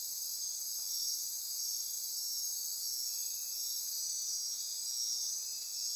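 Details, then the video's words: Insects calling at midnight in rainforest near Corcovado National Park, Osa Peninsula, Costa Rica: unbroken high shrill buzzing with faint pulsing and stacked trills, steady in loudness. "Midnight Insect Chorus"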